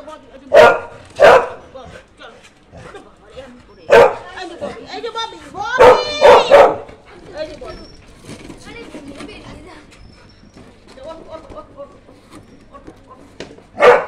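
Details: Pet Labrador Retriever barking indoors; loud, sharp single barks and quick pairs scattered irregularly over fourteen seconds, with a person talking throughout between the barks.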